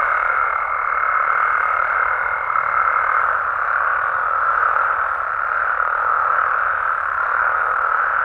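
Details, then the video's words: Frogs and toads in Mexico calling through the night, a steady, dense chorus of blended croaks in the middle range; a thin high-pitched tone lingers for the first three seconds, then only the massed amphibian voices continue. "Mexican Frogs & Toads Sounds"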